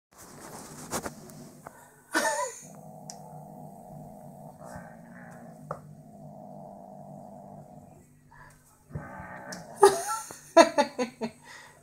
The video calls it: British shorthair cat MiuMiu (5 months old) growling like a dog.